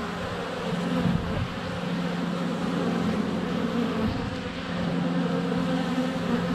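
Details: Steady drone of many honey bees flying around the hive entrance on a sunny February day, recorded with a GoPro less than a foot from the hive; a continuous low humming swarm sound with slight swells.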